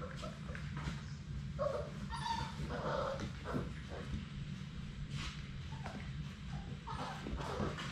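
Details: Close to a GoPro they are mauling in their play room, young Labrador Retriever puppies give scattered short whines and sharp yips, mixed with scuffling and knocks against the camera, over a constant low electrical hum.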